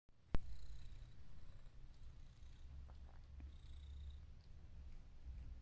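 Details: Male house cat purring while demanding attention from another male cat, recorded indoors on 4 March 2021. The pair are a grey British Shorthair and a white-and-orange domestic shorthair. A steady, deep, rumbling purr follows a sharp knock at the start.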